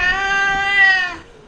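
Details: Hungry house cat that keeps calling for food; one long, steady, tonal meow with rich harmonics, held about a second before fading, then a brief knock.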